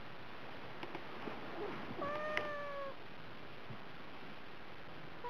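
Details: House cat on a diet, asking for food with a single level, clear meow lasting about a second, set against a steady hiss of background noise with a few soft taps.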